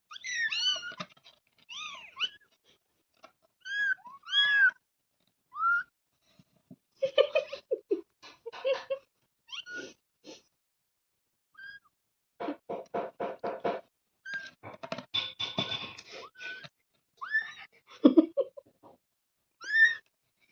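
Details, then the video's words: Kitten giving a long series of high, clear meows, some rising and falling in arches, others short and clipped. They come in irregular bursts with gaps between them, along with soft tapping and rustling in a small room. "Baby Cat"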